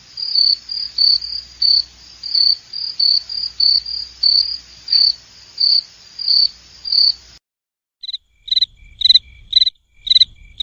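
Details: Cricket giving a steady series of high pulsed chirps about twice a second, then after a short silence a slightly lower, more clipped run of chirps, over a faint low rumble.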